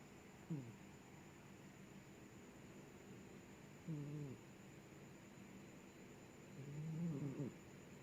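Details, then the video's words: Sleeping cat snoring: three low, rough, harmonic breaths spaced about three seconds apart, each a short droning rasp, with a faint steady hiss in the background. "suara kucing ngorok"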